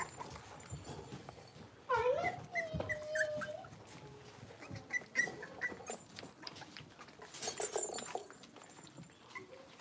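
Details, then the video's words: Blenheim Cavalier King Charles Spaniel puppies, a litter of five born at New Year's, playing in an indoor puppy pen: a short high whining yelp sliding down, then scattered thin squeaks and rustling, with a brief scuffle near the end. "Cavalier Puppies Livestream: Playing, Barking, and Learning"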